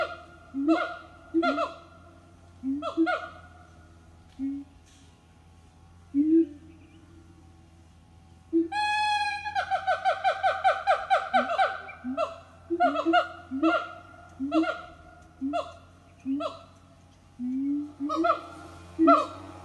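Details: A siamang family sings its morning song at an eco-tourism organic farm: loud harmonic hoots and barks building into a rapid, accelerating run of whoops.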